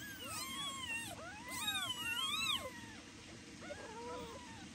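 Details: Baby kittens meow loudly to their mother cat, protesting that she ignores them. Several high, overlapping meows arch up and down, some thin and wavering, over a low steady hum of background noise.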